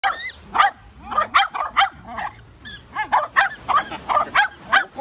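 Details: Shetland Sheepdog playing at the sea, giving rapid bursts of short, sharp, high barks and yips in quick succession, roughly three to four per second, with brief gaps.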